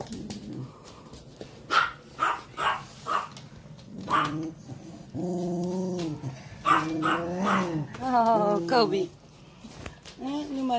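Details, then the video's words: Puppy chasing an older dog named Kobisch during play; drawn-out, wavering harmonic whines and yelps rise and fall across several seconds, with a woman speaking Dutch to the dogs between the sounds. "Puppy chasing older dog Kobisch"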